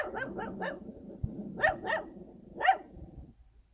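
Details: Countryside dog barking in quick runs: three fast barks, a pause, then two more and a final louder bark, sharp and clipped, against a faint low background.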